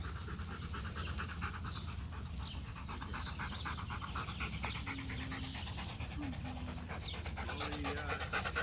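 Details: Macho, a Rottweiler, pants in fast, steady breathy pulses, roughly two per second, while resting on a seat. A man's voice speaks briefly, and a constant low hum sits underneath.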